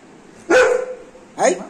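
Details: Anna, a pet Golden Retriever, very happy after her bath: a sharp bark that draws out into a steady tonal whine, then a second short bark about a second later. A woman talks to her between calls.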